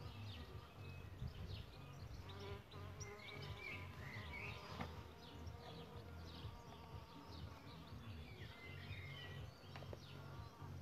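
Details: Low humming buzz from solitary bees around their bug hotel nest site, wavering in loudness as individuals come and go, with scattered bird twitters and whistles in the background.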